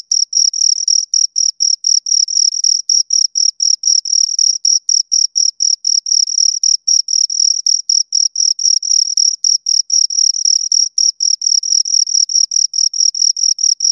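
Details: Rapid, insistent chirping of two crickets, bright high pulses packed closely at roughly four per second in a long unbroken train, clean and free of other noise.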